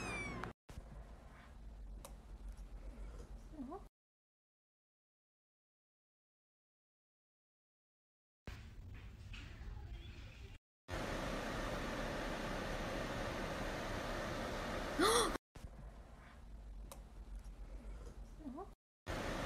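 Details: Cat meowing indoors, short faint meows scattered between long silent gaps and a stretch of steady background hiss.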